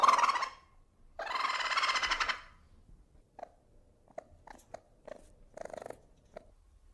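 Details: Ferret: two long breathy hissing bursts, then a run of short soft clucking pulses at an uneven pace.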